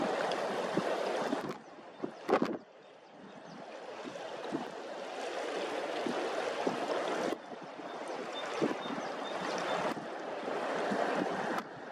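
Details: Steady broadband splashing and gurgling water, with a brief knock and a quieter patch near the start, and no animal calls.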